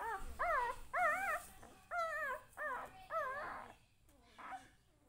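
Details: Whiny puppy cries kept up in a family home: six or seven arched, nasal yelps in quick succession, fading toward the end, with faint household background.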